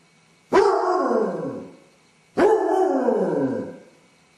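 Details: Separation-anxious Basset Hound alone indoors, caught on a camera set up by its owner; two long mournful bays, each starting abruptly then falling and fading over about a second and a half.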